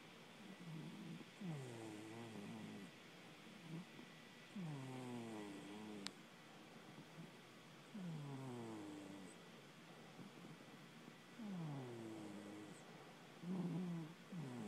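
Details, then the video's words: Pet cat asleep and snoring: slow, regular rasping breaths about every three seconds, each a low buzzy rumble with a rising whistly edge, one sharp click midway. "my cat snores"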